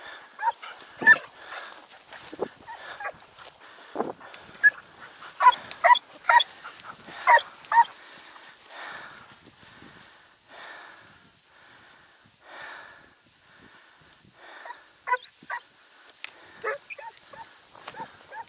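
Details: Segugio Italiano hound named Sofiko hunting hare in Evros, Greece, on 5 October 2019 after storms and heavy rain: distant, ringing yelps and bays in irregular bursts, several in quick runs, fading midway then resuming.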